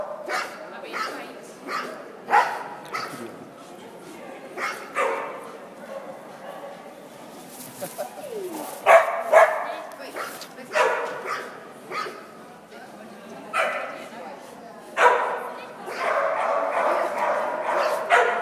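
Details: Dog barking indoors, short sharp barks repeated irregularly, about two a second at times, with clusters of overlapping barks and people talking in the background.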